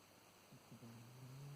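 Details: Sleeping black-and-white house cat, ill with kidney failure, snoring as it does nightly: a couple of soft catches, then a low, even rumbling drone that grows slightly louder toward the end, in a quiet indoor setting.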